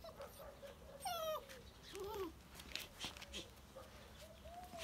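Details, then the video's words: Lively black puppy whimpering: a high, wavering whine with a brief sharp yip after it, then softer sliding whines trailing off, over a background of light knocks and rustling. "صوت جرو أسود نشيط"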